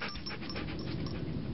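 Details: Pet Siberian Husky named Turbo, performing his learned tricks on command, breathes in a steady, rapid, breathy pant of about four to five breaths per second, with no bark or whine.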